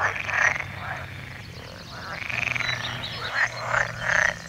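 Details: Frogs giving rasping, pulsed croaks in short bursts with a few longer grating notes, several callers overlapping over a low steady hum.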